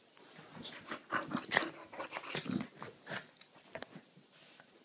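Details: Maltese and bulldog in rough indoor play, the small white Maltese biting and jumping on the bulldog; a burst of loud gruff growls and snorts over a couple of seconds, then quieter scuffling.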